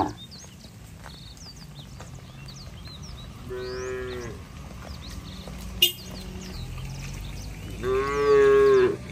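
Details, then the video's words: Cattle herded to their barn on slippery roads in rainy-season weather. Two low, harmonic moos, one near the middle and a stronger one at the end, over background noise, sparse bird chirps and a sharp knock. "Bunyi sapi"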